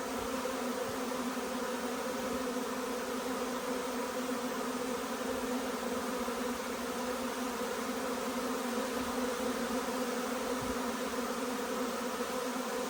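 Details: Swarm of honey bees arriving at nucleus boxes during hot, humid weather while chestnut blooms; continuous thick droning hum, even in loudness throughout, with banded overtones and no other clear sounds.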